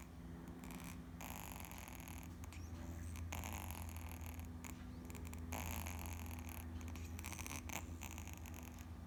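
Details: Kitten named Muff asleep on its back, snoring: a soft, steady low rumble running through the whole stretch, with faint rustling and a few brief clicks above it.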